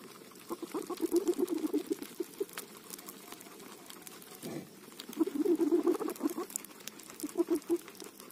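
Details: Guinea pig eating roti flatbread, giving low, rhythmic pulsed chirring in bursts near the start, middle and end, each lasting about a second, over a background of crinkling, tearing and patter from the food.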